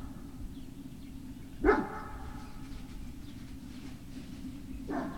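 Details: Great Dane puppy recorded on 18 November 2018 in the afternoon, with one sharp harmonic bark and a second fainter one about three seconds later, set against a steady low-pitched hum.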